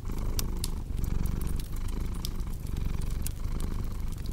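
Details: Purring cat with a thick, low rumble broken by brief pauses between breaths, set against loud crackles and sharp pops from a burning fireplace.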